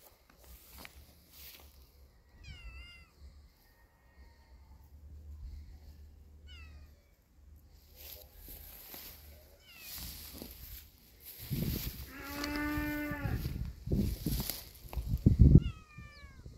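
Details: Kitten and cat, apparently outdoor strays, with a brave kitten facing an adult cat: several short rising-falling meows, then a long, loud, harmonic-rich meow near the end, with rustling and low rumbling in the background.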